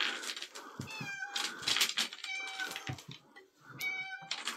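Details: Three meows from a domestic cat, recorded on 3 April 2024: short, bright, wavering calls spaced over four seconds, with rustling, clicking and hissy noise bursts between them.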